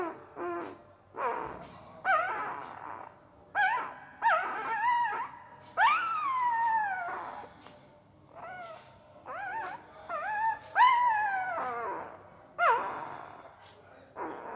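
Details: Weird sleep noises from a puppy: irregular run of thin whines and yelp-like squeals, some long and wavering, some clipped, coming in uneven bursts for about fourteen seconds.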